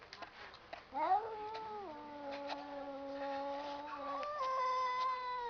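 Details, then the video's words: Cats talking in a long, quiet, drawn-out meow that slides upward and then holds steady, rising again near the end, over a faint background hiss. "cats talking"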